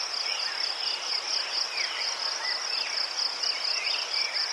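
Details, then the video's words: Crickets in Ukraine give a dense high trill broken into quick regular pulses, while lower faint chirps sound intermittently over a light background hiss. "Заспокійливий звук цвіркунів//The soothing sound of crickets"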